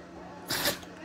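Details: A Shih Tzu gives one quick, sharp sneeze, a breathy burst lasting about a third of a second, during a bout of repeated sneezing over 30 minutes that the owner had never seen before.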